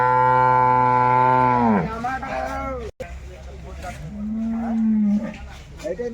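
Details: Jersey cattle lowing at a wholesale market: a loud sustained moo that sags downward at its end, a short break, then a second softer call rising and holding level, with people talking nearby.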